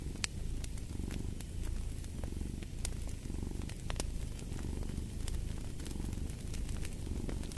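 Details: Domestic cat purring in a steady low rumble that swells and fades about once a second, mixed with sharp crackles and pops from a fireplace, arranged as a relaxing sleep ambience.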